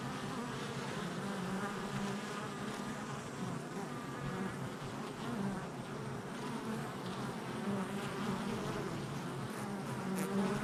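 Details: Honey bees active at a hive entrance on July 22nd, 2024: a steady, dense droning buzz of many bees, a low hum with wavering tones from passing individual fliers, continuous throughout.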